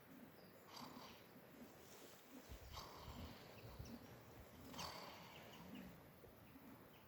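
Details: Dozing sheep named Shandie keeps snoring gently while noise goes on around her, each faint airy rasp returning roughly every two seconds over a low rumbling background.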